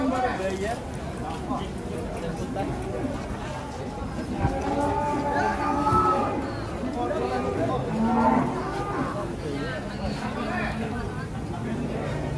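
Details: Agitated cattle moo while being unloaded from a truck. Several animals call over one another in long, drawn-out, harmonic moos that rise and fall and repeat continuously, with faint voices in the background.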